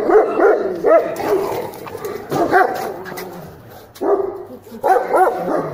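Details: German Shepherd tested for guarding ability, giving loud, harsh barks in short bursts of two or three, separated by brief pauses over several seconds.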